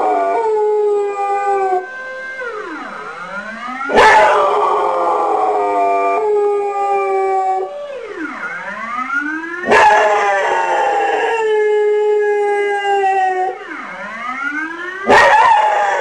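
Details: Dog imitating a siren alarm, producing long wavering howls with rich harmonics, sustained for several seconds at a time, while a siren repeatedly swoops down and back up behind it, roughly every six seconds.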